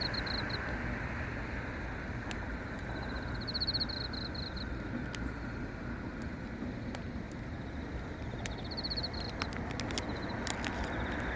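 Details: Crickets at night sing in short pulsed bursts of high, thin trilling, around the fourth second and again near the ninth to tenth, over a steady broad hiss with scattered sharp clicks.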